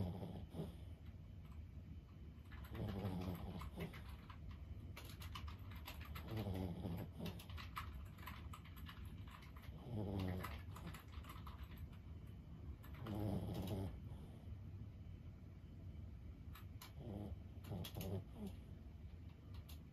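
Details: Sleeping senior Boston Terrier Lulu, aged 15, gives soft, low snores about every three to four seconds, five gentle rasping breaths over a steady quiet indoor background with faint scattered clicks.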